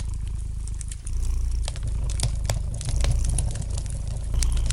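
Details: Short stretch of a domestic cat's gentle purr beside a fireplace; a soft, deep rumble grows louder after the first second, with bright crackles and snaps from the fire above it.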